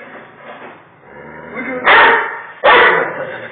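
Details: Male pit bull going nuts at a Doberman and standing his ground, giving two loud, harsh barks about 0.8 seconds apart after a stretch of low, muffled background noise.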